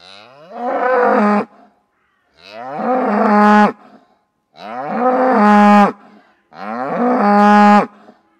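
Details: A farm cow moos again and again: four long, loud, harmonic moos, each rising then holding a steady pitch, come about every two seconds with short silent gaps between.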